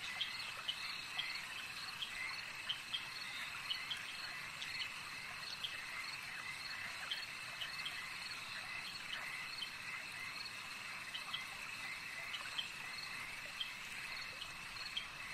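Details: Frogs at a lake fill the air with an unbroken high, ringing chorus, punctuated by many quick clicks and chirps scattered irregularly from several callers at once.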